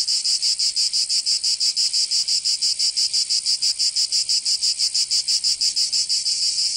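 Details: Cicadas in Provence, southern France, during summer: an intense high rasping drone throbbing in very even rapid pulses, several per second, the only sound present.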